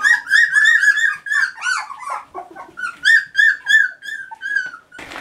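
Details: Three-week-old Standard Poodle puppies in a whelping box at breakfast time; loud, clear, repeated whining squeals with rich overtones, rising then falling, about three per second with short gaps, several pups together.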